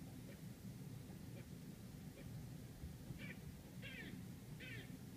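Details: A squirrel gives short, harsh barking notes, growing louder and repeating about every second, over a steady city rumble outside a Manhattan apartment in New York City.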